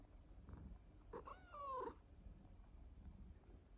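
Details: Domestic rescue cat indoors, one strained meow sliding upward then down around one and a half seconds, low rumbling purr and room noise around it.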